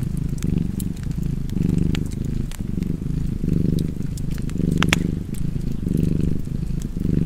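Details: Low, throaty cat purr continuing near an open fire, each inhale and exhale making a soft swell of rumbling, with frequent bright crackles from burning logs, one cluster louder near the middle.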